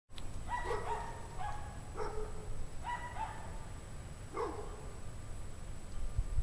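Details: Pack of dogs barking outdoors on a cold January evening at 17 degrees Fahrenheit, 5 PM; short harmonic barks come in spaced bursts roughly every second, some distant and echoing, over steady low rumbling background noise.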